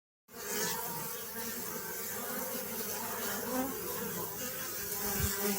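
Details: Honey bees humming in a dense, steady drone after a brief silent start, layered low tones with a hissy upper wash, holding even loudness throughout.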